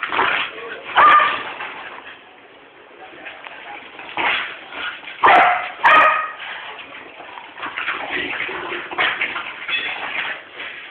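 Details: A 3-year-old corgi, frapping, gives sharp, yappy barks and whines in bursts, irritating his 12-year-old brother and trying to get him to play.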